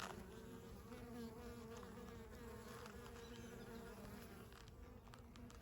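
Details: Western honey bee foragers coming in with pollen loads at a horizontal hive entrance in Wisconsin, May, eight days after package install; continuous droning hum of many bees with a faint steady tone and light clicks.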